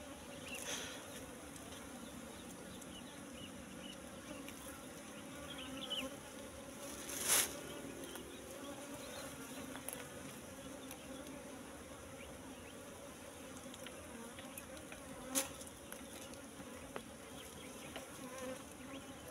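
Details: Wild Asian honey bees (Apis cerana) at a nest found in bushes, its comb full of honey: a steady droning hum of many bees in low tones, with a few sharp clicks and handling knocks.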